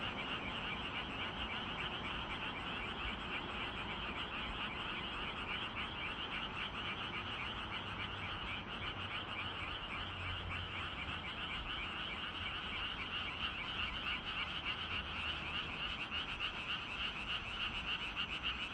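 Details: Frogs calling on an evening in Gyeongju on 25 June, a dense chorus of rapid, rattling croaks repeating several times a second without pause, with a steady high insect-like hum above and faint low rumble beneath.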